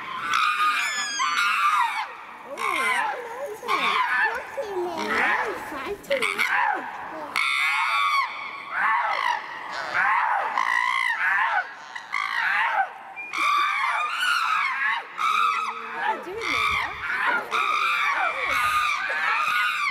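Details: Three castrated male chimpanzees, Tommy, William and Peter, in a sudden fight at Twycross Zoo's Chimpanzee Eden; frantic high screams and squeals overlap in bursts, with brief pauses and harsh cries from several animals.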